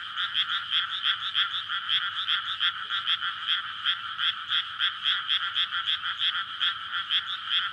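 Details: Frogs in a May rice paddy newly filled with water, chorusing at night in courtship before egg-laying, amid housing near a road; steady massed croaking in rapid regular pulses, bright and rattling, no other sounds standing out.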